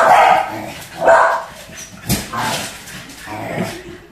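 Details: Two Pembroke Welsh Corgis, Waffles and Scotch, playing with a balloon; a few sharp barks roughly once a second, uneven, with a short crackle of balloon handling.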